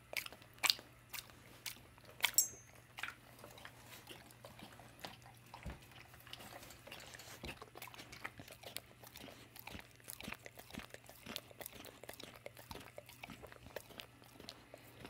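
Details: Dawg, an American Staffordshire and American Bulldog mix pitbull, eating her favorite peanut butter in the evening; a few loud sharp smacks early, then softer, steady wet licking clicks over a faint low hum indoors.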